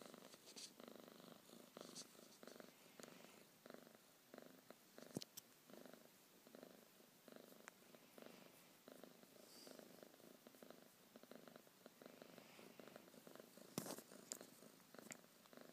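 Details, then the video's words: House cat purring at wake-up time in the morning, a continuous pulsing rumble that rises and falls with its breathing, broken by occasional sharp rustles and bumps, heard close in a quiet room. "Purring alarm clock"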